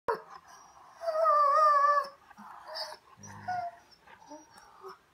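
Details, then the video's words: German Shorthaired Pointer talking back indoors: a long, wavering, whiny, tone-like moan lasting about a second, followed by shorter grumbling, rising and falling vocal noises. "Dog talks back"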